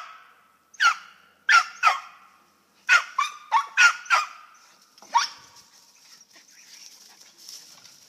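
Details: Barking squirrel dogs from Lightfoot kennels, west Kentucky: rapid sharp barks, two spaced then a quick run of four or five, a final lone bark, followed by a steady high insect drone in the background.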